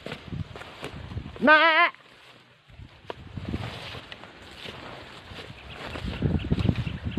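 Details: Young goat at risk of being left by its mother bleats once, a short tremulous cry with rich wavering overtones lasting under half a second, then only soft rustling, shuffling and low background rumble.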